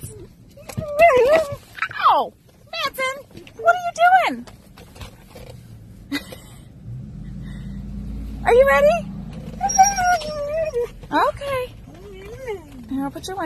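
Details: Key, a pet husky riding in a car near a school, answers a person with rising and falling yowled woo sounds in short bursts, mixed with human speech and low vehicle rumble.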